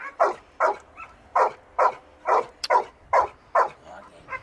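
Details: One-year-old Labrador Retriever Ektoras barks during search and rescue exercises on open ground and ruins near Thessaloniki; about nine strong, evenly spaced barks, a bit over two per second, with a faint click between.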